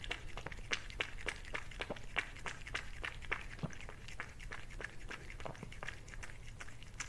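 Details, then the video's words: Cat eating, captured up close: rhythmic crunchy bites snap roughly four times a second, slightly louder at first, over a faint low-pitched hum. "CATS EATING FOOD"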